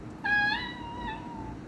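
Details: A domestic cat gives a single drawn-out, tonal meow that holds steady and then fades; adult cats reserve the meow for communicating with humans.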